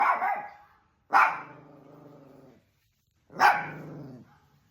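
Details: Pet dog fighting with another dog: three sharp, harsh barks about a second apart, each trailing into a drawn-out, throaty growl that fades before the next outburst.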